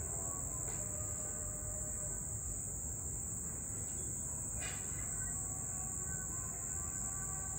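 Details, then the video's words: Night cricket sound: a steady high-pitched trill carries on without pause while a low rumble and a few faint clicks sit underneath. "Night Cricket Sound"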